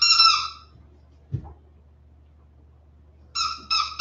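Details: West Highland White Terrier puppies, 47 days old, indoors after an outdoor break: a high, clear whine with stacked overtones, then a run of three short, sharp whimpers in quick succession near the end, with a soft thump between.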